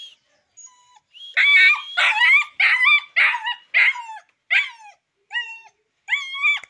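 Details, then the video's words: Very aggressive Rottweiler-Boxer mix puppy named Sultan utters a series of high, wavering yelping whines, roughly one every second, each bending downward at the end, after a brief thin whine at the start. "Very very Aggressive puppy"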